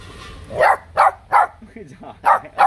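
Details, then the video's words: Cheeky H'Mong bobtail puppy from a litter of three, barking as if spoiling for a fight. Five clipped yaps, roughly one every half second, with a person's voice murmuring faintly underneath. "Chó con mông cộc sủa gạ đòn!"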